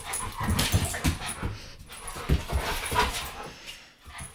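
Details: Indoor play between an American bulldog and a Boston terrier: low, gravelly growls and snorting pulses repeat in quick irregular bursts with scuffling throughout.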